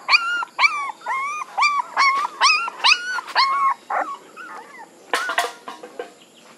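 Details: High arched whines from puppies, about eight in a fairly steady series roughly every third of a second, then scattered squeaks and a sharp yelping burst near the end.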